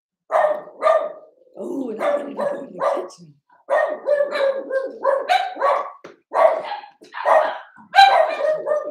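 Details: Cavalier King Charles Spaniel puppies, Ruby and Blenheim coats, born 06/09/2022, on an overnight puppy cam on 8/27: a run of short, harmonic barks and yips in quick bursts with brief pauses, some overlapping.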